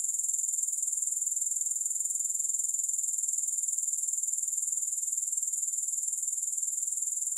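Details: Grasshoppers, with no music: an unbroken, very high, shrill pulsing trill that throbs steadily about four times per second for the whole stretch. No other sounds are heard.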